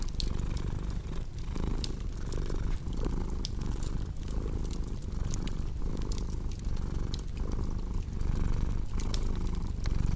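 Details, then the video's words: Domestic cat purring steadily in long rhythmic low rumbling cycles, each lasting under a second, set against the crackling and popping of a fireplace, in a soothing indoor mix meant for deep sleep and relaxation. "Purring Cat with Cozy Crackling Fireplace Sound"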